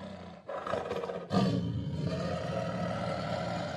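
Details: Tiger giving a deep, rough roar: a short grumble, a brief break, then a loud, sustained, throaty blast that holds steady for more than two seconds with strong low tones.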